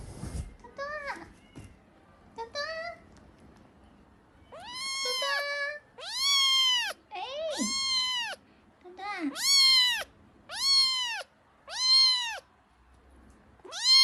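A kitten meows repeatedly, high arched cries coming every second or so.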